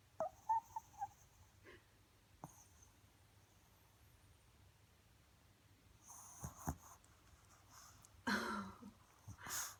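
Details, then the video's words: Lolita, a Pomeranian, snoring indoors: irregular wheezy, breathy snorts with a few faint clicks early on, then louder rasping breaths toward the end. "Pomeranian snoring"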